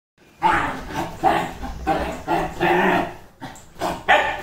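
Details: Super excited Dachshund giving a string of loud, sharp barks, about six bursts in four seconds, each with a bright, ringing tone and uneven gaps between them.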